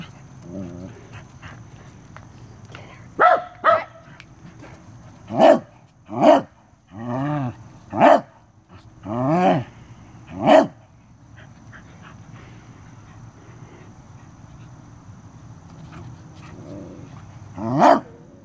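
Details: Corgi barking during a close encounter with a stink bug as a person urges it on; about nine sharp barks, some in quick pairs, come at irregular intervals across the recording with quiet gaps between.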